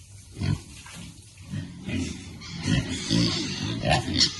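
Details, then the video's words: Happy piglets in cool water, uttering short, deep, rhythmic grunts in quick bursts, with light splashing and a few brief higher squeaks near the end. "Piglets like cool water and are happy."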